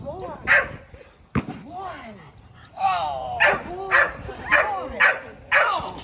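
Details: Kolohe the male Rottweiler barks during his first bite-work session in protection training. A sharp knock comes early, then a run of loud barks repeats about twice a second.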